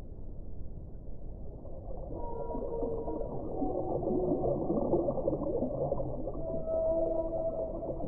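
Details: Whale song: long, drawn-out tonal moans and wavering mid-pitched wails that overlap and slide slightly. They sit over a steady low, rushing underwater rumble, and there is no high-pitched sound at all.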